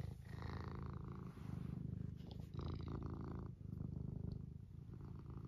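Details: Eric the cat purring contentedly; strong low rumble in pulsing bursts, with the purr swelling and fading across several breaths, each lasting roughly a second or more.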